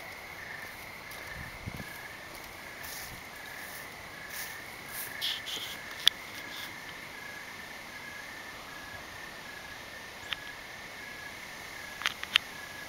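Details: Evening crickets outdoors at night: a quiet, even run of short repeated chirps behind a hissy background, broken by occasional sharp clicks and taps, some near the end.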